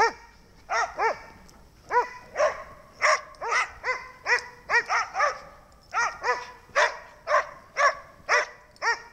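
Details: Dog named Snow barking once more, rapid bright barks coming in quick pairs and singles about twice a second, each bark an arched ringing tone, steady throughout with little background.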